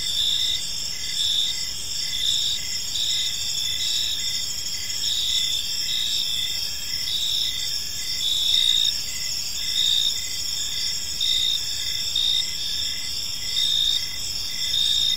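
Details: An evening park chorus of crickets, unbroken high-pitched trilling in stacked layers with regular pulsing chirps throughout and faint low ambient noise.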